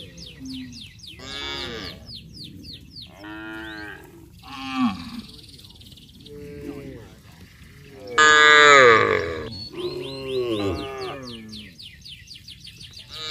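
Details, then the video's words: Cattle heading down to the rice fields together in a village, calling to one another: overlapping harmonic moos, some long and falling, some short, with a loud bellow near the middle and other cattle answering throughout. "Bunyi sapi memanggil teman teman"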